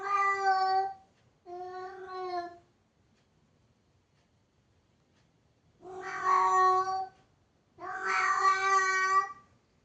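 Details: Indoor cat wanting a closed door opened gives four loud, clear meows: two close together, a silent pause of about three seconds, then two more, each roughly a second long and strongly harmonic.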